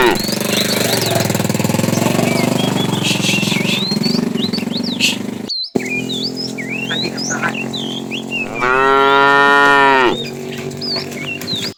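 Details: Herd of tame cows roaming in the morning looking for food; steady low rumble of movement, then a single strong, drawn-out harmonic moo lasting about one and a half seconds, with chirping birds overhead.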